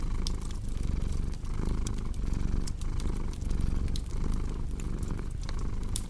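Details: Cat purring in a soft continuous rumble with regular breath pulses, set against the crackle and occasional sharp pops of a cozy fireplace.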